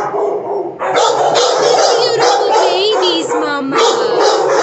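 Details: Puppies giving a dense, unbroken chorus of overlapping yelps and short barks, with wavering high whines rising above the din around the middle and end.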